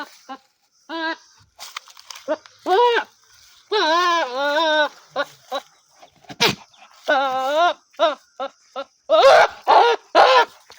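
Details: A goat bleats in loud, wavering, nasal bursts, with short clicks and thumps between the calls.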